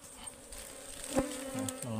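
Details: Ligwan honeybees at a wild hive being harvested in the forest, described as very aggressive and stinging: a steady low droning hum with a faint overtone, plus brief rustles and knocks.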